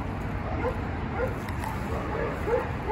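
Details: Ronnie, a four-year-old male Chihuahua that arrived at a shelter as a stray and needs rescue, gives short, high, light yips at irregular intervals, four or five across three seconds, over a steady low background hum.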